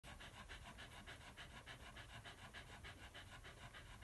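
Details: Miniature Australian Shepherd dam Snowleaf's Daylight nursing her first litter of eight one-day-old puppies, relaxed after a smooth birth; fast, steady breathy panting, about three pants a second, continues throughout.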